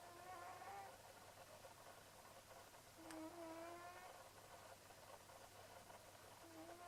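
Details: Leo, a sleeping pet cat, snoring away: soft buzzy breaths carrying a thin nasal whistle, each under a second long and returning roughly every three seconds, over a steady low hum.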